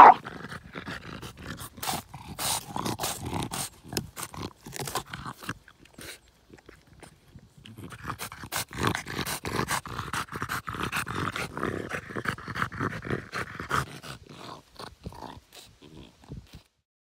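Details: French bulldog at play with a log, producing raspy, snorting growls and grunts in rapid bursts, a long sustained throaty growl in the middle stretch, fading to a few short huffs and then silence.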